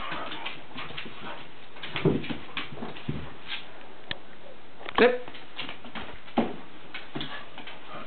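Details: Black Miniature Schnauzer and a Schnauzer/Lab pup play wrestling indoors, the older dog teaching the pup healthy play; short harmonic yelping growls burst out near two and five seconds over steady scuffling and tapping paws.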